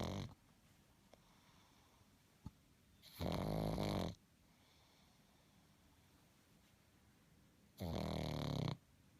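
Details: Pug snoring in sleep, two long rasping snores about a second each, spaced several seconds apart, with quiet breathing between; indoors in a small room.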